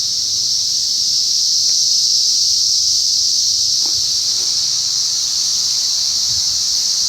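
A cicada chorus gives a loud, steady, high-pitched hissing drone that never lets up.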